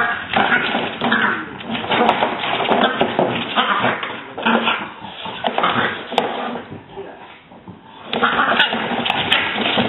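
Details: Two female French Bulldog sisters squabbling at Christmas time with rough, throaty grumbles and growls that rise and fall in bursts.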